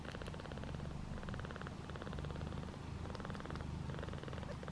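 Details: Nursing session of Piper's five newborn kittens competing for milk, with continuous deep pulsing purrs repeating rapidly and evenly, swelling slightly in loudness, plus soft scratchy rustles.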